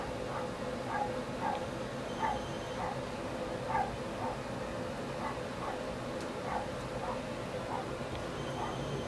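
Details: Shasta, a Siberian Husky puppy playing tug of war, gives short high yips repeated roughly every half second over a steady hiss.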